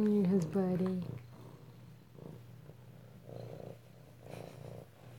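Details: Kittens at home in Alabama, recorded close-up on 2/7/18: a brief human voice opens, then a soft, low, steady purr rumbles on with gentle rhythmic pulses in a quiet indoor room.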